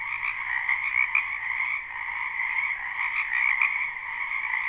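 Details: Spring wetland frog chorus recorded live behind a house at night: many frogs croaking together in an unbroken buzzing wall of trills, slight swells in loudness, nothing else audible.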